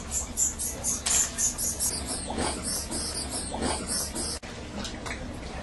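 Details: Greater bulldog bats (fishing bats) roosting in a cave offshore Trinidad, West Indies: a fast series of short, high, sharp chirps repeated several times a second, fading out midway, over a steady rushing background hiss.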